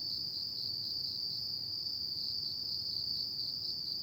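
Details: Autumn insects calling at night: a steady, unbroken high-pitched trill that holds one even pitch with a faint thin overtone above, with no other animals or voices.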